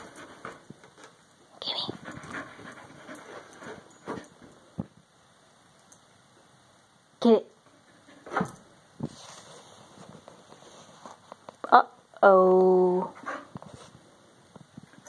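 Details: Keeshond puppy Gibbs, fascinated by tennis balls, plays with a giant tennis ball indoors: scattered thumps and short yelping notes, then a sustained harmonic whine near the end, with a person's voice talking between sounds.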